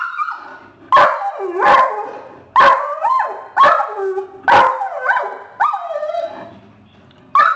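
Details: A family of deer in the front yard sets off Mason the dog's special whining bark; sharp barks roughly every second, each trailing into a falling whine, with quieter whimpering between bursts.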